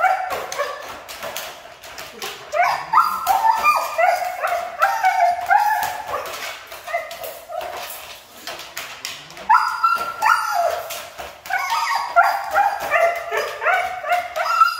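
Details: A Siberian Husky said to be hard to train keeps up a stream of yelping, wavering whines with irregular pauses; possible human voice mixed in.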